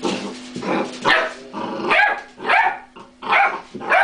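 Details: Domestic dog, outwitted by a cream pot, gives a rapid run of loud, rough, growly barks, roughly two each second, over a faint steady hum.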